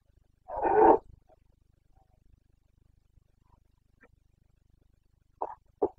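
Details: Carpathian red deer stag in Bucovina's mountain forests during the breeding season, late September 2022: one loud harsh roar near the start, then quiet with faint clicks, and two short grunting bursts at the end.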